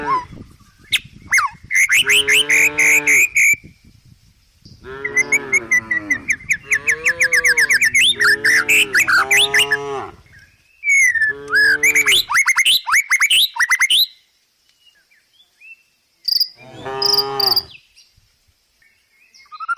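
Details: Village cows, tame and herded, walking down a rural hillside to feed in woodland; several low, wavering moos in bursts with pauses, mixed with loud, quick bird chirps and squawks.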